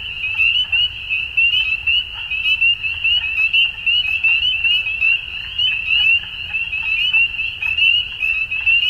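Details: A continuous dusk chorus of frogs: countless brief, high, upward-sweeping chirps merge into one shrill ringing band, with gentle pulses in volume and a soft low noise beneath.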